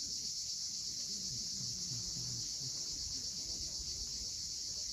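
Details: Cicadas at sunset on the steep coast of Cape Fiolent, Crimea, giving a steady, dense, high-pitched buzz that never breaks, with soft low rumbling from waves beneath.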